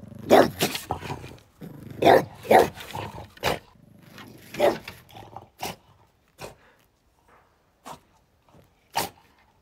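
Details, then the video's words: A French Bulldog standing guard barks in quick clusters: rough, harmonic yaps in pairs early on, then sparser single barks trailing off, with a few softer bursts between them. "French bulldog on guard"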